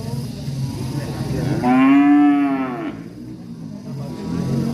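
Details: Angry cattle in village surroundings, a single moo of about a second and a half that rises then falls, set against a steady low background rumble.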